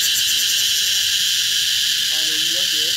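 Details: Only one cicada visible yet calling very loudly in summer in Vietnam; a dense, steady shrill buzz with a brief pulsing start, and a man's voice speaking quietly near the end.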